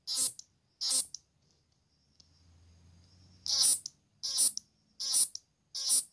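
A green grasshopper gives short, dry, high buzzy bursts, repeated a little under once a second.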